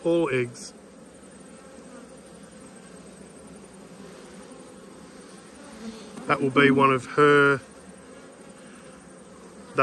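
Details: Honey bees humming during an autumn hive inspection, a steady low drone with layered bands, broken near the end by short voiced bursts of human speech.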